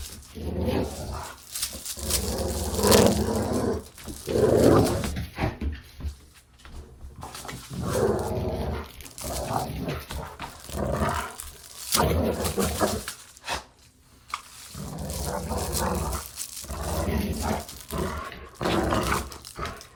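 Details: A dog growls while playing, recorded for desensitization practice: irregular rough growling bursts with pauses, some higher yips, and faint rustling and thumps from play.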